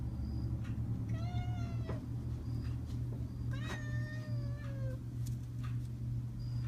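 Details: Chatty female tuxedo cat indoors, said to sound like she says "hello"; two clear harmonic meows, the second longer and gently falling, over a constant low electrical hum.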